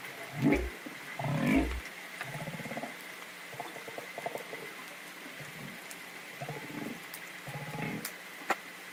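Humpback whale grunts: short, throaty low pulses with higher overtones, repeated irregularly over hissing underwater noise.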